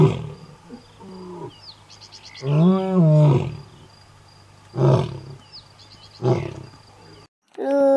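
A lioness gives deep, rasping roars, the longest swelling and falling over about a second.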